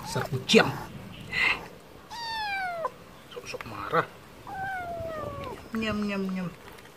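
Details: Stray cat reacting to wet food, giving several descending meows, one high and sliding down, another lower and drawn out at the end, mixed with clattering and brief noises from handling.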